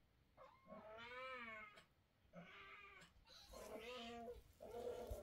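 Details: A mother domestic cat, in a bad mood, scolds her kittens while carrying them. She gives four drawn-out, harmonic meows that rise and fall, with short quiet gaps between them.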